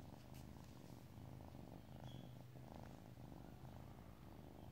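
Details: A relaxed domestic kitty purring: a steady, low, rumbling purr that runs unbroken through the whole stretch, soft and close, indoors with no other clear sounds.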